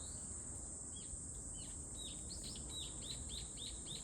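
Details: Cicada singing: short curved chirps that sweep up then drop, repeated about three to four times a second and speeding into a steady run, over a continuous high, thin hiss.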